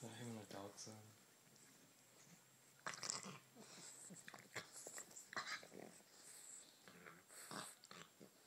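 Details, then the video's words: Bulldog puppy playing with a Puggle indoors, giving rough, growly grunts and huffing breaths in short bursts, with a person's voice talking over the opening seconds. "Funny bulldog sounds"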